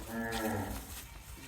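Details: Brahman bull being herded, a short harmonic moo lasting under a second, then quieter rustling and background noise.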